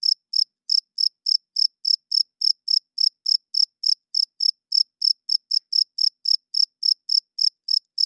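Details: Male cricket chirping at night, rubbing its wings to attract females and hold territory; bright, high chirps repeat in an even train roughly three times per second, nothing else audible.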